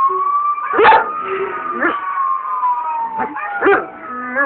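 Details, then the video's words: Male Belgian Malinois howling in response to a siren, recorded on a cell phone: short, rising and falling howl bursts about once a second, over a steady siren tone that slowly drops in pitch. "Belgian Malinois Howl"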